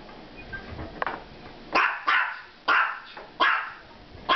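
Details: Pet miniature pinscher barking on meeting two Maine Coon cats; four sharp loud barks spaced roughly every two-thirds of a second after quieter indoor sounds, with the owner then telling her not to bark.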